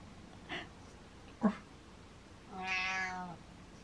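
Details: Domestic cat meowing at its owner, asking him to follow. Two brief faint sounds come first, then one drawn-out, harmonic meow lasting under a second that falls slightly at the end.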